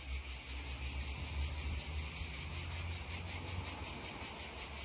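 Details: Continuous cicada drone by a babbling stream, a bright hissing buzz pulsing rapidly and evenly throughout, with soft gurgling water below.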